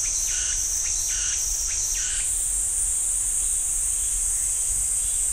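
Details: Cicadas in a pine forest at Ssanggyesa Temple, Jirisan National Park, Korea, give a steady, high-pitched electric buzz, joined early on by a lower pulsing rasp.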